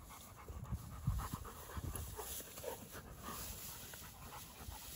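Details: Short bursts of quick, airy panting from two Dogo Argentino dogs playing outdoors, a few louder thumps early on, over a dull low background rumble.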